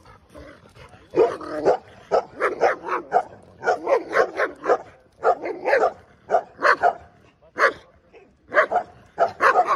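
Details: Dog barking steadily in short, harsh bursts, often doubled or tripled, with brief pauses between volleys, from a dog versus puppy sound comparison.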